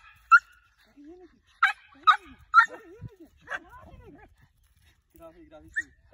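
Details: Dog in training to hunt tegu lizards yelps in short high barks, several in quick succession, then a pause, mixed with a man's murmured speech and soft whining tones.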